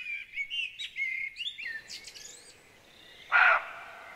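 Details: A frightened roe deer in Rold Skov forest, Denmark, gives a single short, hoarse alarm bark after a stretch of chirping songbirds.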